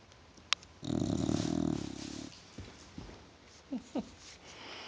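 An English Bulldog snores with a long, low, rattling breath followed by short nasal snorts.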